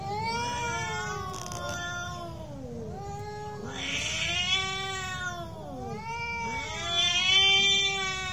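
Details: Real cat fight: long, drawn-out, wavering yowls that rise and fall in pitch, two voices overlapping and sliding past each other without pause, with harsher, noisier bursts swelling louder around the fourth and seventh seconds.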